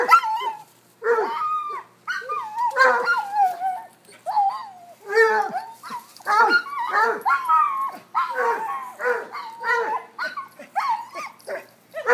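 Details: Cocker-hound, Basset and corgi dogs playing chase: a long run of harmonic, baying barks and yelps, rising and falling, packed closely with only short pauses.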